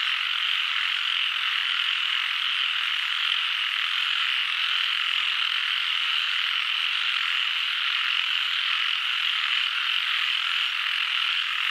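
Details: Frog chorus heard as a continuous high-pitched droning mass of overlapping calls, uniform in loudness, without breaks or other noises.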